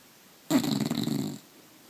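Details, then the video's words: One-year-old Bulldog asleep in the morning, recorded by phone: a single rough, rumbling snore lasting just under a second, deep and raspy with a breathy hiss on top, then quiet. "Bulldog Tychus Snoring"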